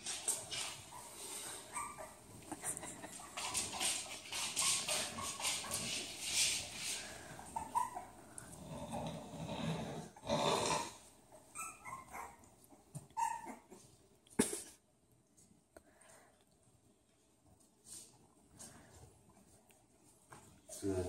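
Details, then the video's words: Bulldog puppies whimpering indoors: short, thin, high squeaks scattered through the middle of the recording among dense rustling and handling noise, with human voices and a sharp knock partway through. "Bulldog puppies"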